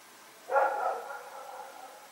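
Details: Rex or his companion, dogs roaming at night in Pyrga on September 21, 2018, giving one drawn-out bark that starts sharply and trails off slowly over more than a second.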